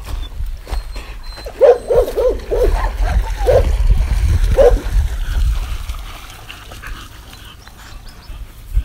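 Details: Dogs in a combination of barks: a quick run of sharp, mid-pitched barks near the start, a couple more scattered after, then a quieter stretch over a low rumbling background.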